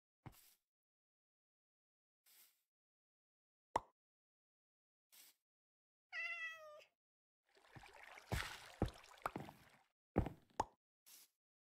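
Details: After hours of travel to Hanoi, a Persian cat gives one short, bright meow among scattered sharp clicks, then a burst of rustling and clattering noise.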